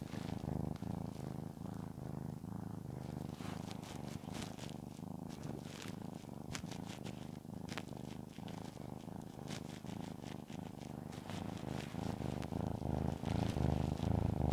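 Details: Shamotra the cat enjoys being petted and purrs throughout: a dense, low rumbling purr with steady rhythmic pulses, overlaid by frequent brushing and rustling of hand strokes, growing louder toward the end.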